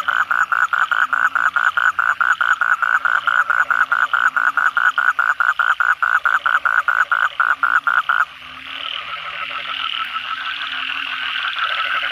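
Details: Night chorus of Asian common toads after a downpour: rapid, evenly spaced croaking pulses for about eight seconds, then the foreground caller stops and a denser, blurred trill of further toads carries on.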